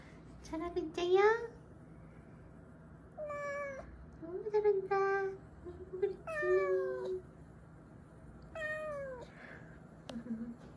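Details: Weak rescued kittens huddled together call repeatedly with clear, high meows, several rising sharply then sliding down, others flatter and shorter, coming in clusters with brief pauses, over a low steady indoor hum.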